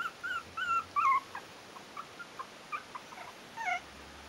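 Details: Four-week-old Yorkshire terrier puppies from the Stellar Garden kennel's A litter: a few drawn-out wavering whines at the start, then sparse faint squeaks with quiet gaps.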